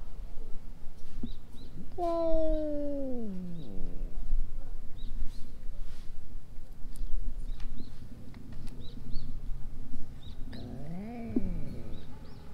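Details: Stray cats squaring off for a fight: a long, wavering yowl slides downward, and after a pause a second moaning howl rises and falls, over low background rumble and faint chirps.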